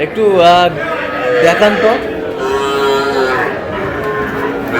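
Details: Young bull calves bought by a farmer from Narsingdi on 6 July, bawling in quick succession: several wavering, harmonic moos with rising and falling pitch overlap, with faint background voices.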